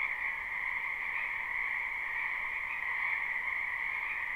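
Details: Live recording of a frog chorus in a spring wetland: dense, shimmering trills overlap into one continuous, even drone, slightly quieter than elsewhere, with no other animals or voices heard.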